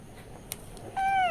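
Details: Cat crying out while waiting for milk; after near-quiet indoor noise and a faint click, one steady, clear meow with a slight downward slide comes at the very end.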